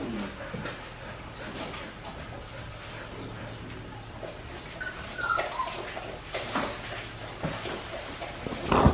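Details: A litter of Australian Shepherd puppies aged four weeks five days, watched by a baby cam. Brief high whimpers, one sliding downward midway and another rising at the start, with shuffling and a constant low hum.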